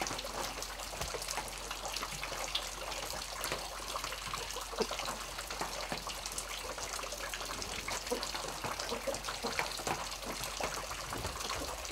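Steady rushing and splashing of water, like rain or a running stream, with no animal voice standing out.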